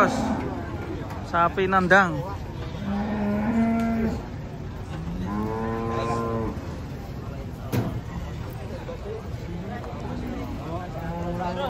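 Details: Cattle being unloaded from a truck, several animals mooing: drawn-out harmonic lows, some rising and wavering, repeated every few seconds, with faint voices and shuffling in the background.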